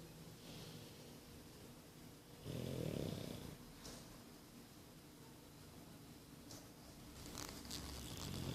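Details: Boris, a nine-month-old English Bulldog, snoring: one loud, rasping inhalation roughly a second long rises out of quiet room noise, with softer breathing before and after.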